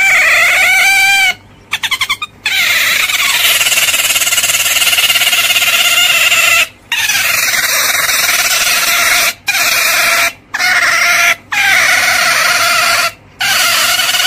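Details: Otter giving long, loud, high-pitched squeals with a steady whining tone, held for several seconds and broken by brief silent gaps, plus a few short chattering bursts near the start.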